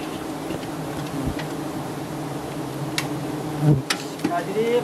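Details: Thai honey hunters raid a giant honey bee nest high up, and the colony answers with a continuous low buzzing; brief ticks and clicks cut through near the end, over soft voices.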